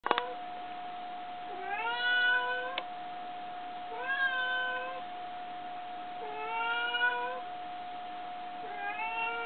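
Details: Pet cat named Asari chattering, seemingly asking for something: four clear rising-then-level meows spaced about two seconds apart, each with bright overtones, over a steady electrical hum indoors.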